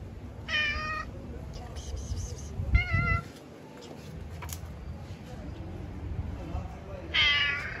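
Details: Street-dwelling stray cats and kittens being given food, meowing in three clear harmonic-rich calls, each under a second, separated by pauses, with faint clicks and background noise between them.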